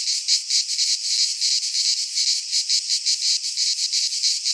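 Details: In a Greek pine forest at midsummer, cicadas produce a shrill, rasping drone pulsing rapidly, roughly three throbs a second, steady loudness and nothing else audible.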